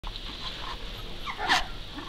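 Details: Working Cocker Spaniel puppies, about 4–5 weeks old, give thin, high squeaks and a brief louder yelp, recorded in Devon in September 2012.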